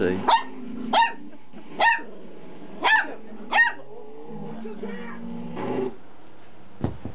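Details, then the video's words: Dog excited by a vibrating toy with a pull cord, five sharp barks about one second apart, then low rumbling noise and a quiet spoken voice near the end. "Oliver's Found His Bark"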